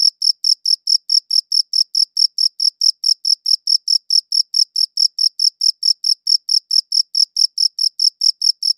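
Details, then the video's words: High-quality recording of a cricket chirping: rhythmic, piercing chirps in a regular fast series, close to four each second, crisp and uniform, with total silence between pulses. "Cricket Chirping Sounds"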